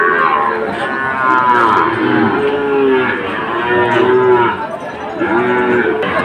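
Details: Lowing of Sahiwal bull calves at Ambari market, Sylhet, on 2 October: long, slightly falling moos follow one another about every one to two seconds, layered over constant crowd chatter.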